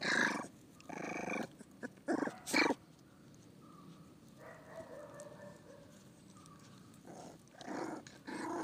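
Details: Pit bull puppies give rough, breathy growling bursts in quick clusters, then a drawn-out high whine lasting about two seconds, with scrabbling and shuffling sounds between calls.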